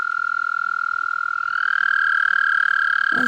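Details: Toads calling while trying to mate. One long, steady, buzzy trill holds at a single pitch for over three seconds without a break, then ends with a splash-like noise.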